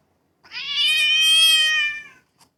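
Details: House cat calling indoors with a single loud, sustained meow of nearly two seconds, steady in pitch with a slight rise and strong, bright overtones.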